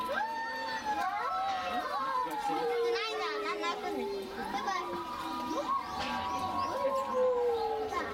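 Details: Captive Chinese wolves at Tennoji Zoo howl together, several long, smooth voices gliding slowly downward and overlapping in a chorus, with harmonics stacked above. Visitors' chatter and children's voices run underneath throughout.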